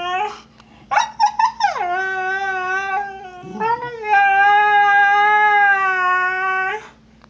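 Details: Snow, a female husky, howls in complaint after Trixie, an Australian Cattle Dog, stole her bone: a short yelping burst, then a long steady harmonic howl with a falling start, a brief break and a second sustained tone; low growling from Trixie underneath.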